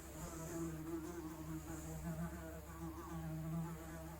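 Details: Real, unprocessed sound of a fly: a short, even, low droning buzz with smooth harmonic overtones that drift gently in pitch, steady in loudness from start to finish.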